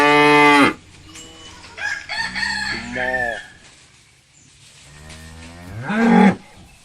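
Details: Several cattle moo in turn: a strong harmonic bellow opens, then softer lower moos in the middle and a rising, loud final moo; a faint rooster-like call or clucking may sit in the background.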